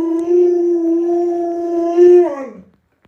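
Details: Alaskan Malamute kept as a household pet gives a long, level, sustained howl lasting over two seconds, briefly swelling louder near the end before dropping sharply and cutting off.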